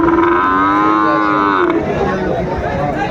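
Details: At a busy Chattogram cattle market in Bangladesh, 17 March 2025, with Sahiwal bull calves being sold, a single steady, level moo lasts about a second and a half and then stops. Haggling voices and market chatter continue behind it.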